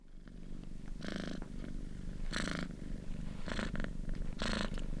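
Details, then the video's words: Domestic cat curled up in a ball, deep asleep and snoring: rough, breathy snores about every second and a half over a steady low rumbling drone, indoors. "Cat curled up in a ball and snoring"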